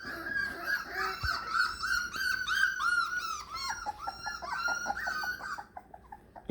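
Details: Four-week-old Beagle puppies on their first time apart from their mother, indoors, whimpering almost nonstop: high arched whines and squeals, several per second, bending up and down, from more than one pup, fading out near the end.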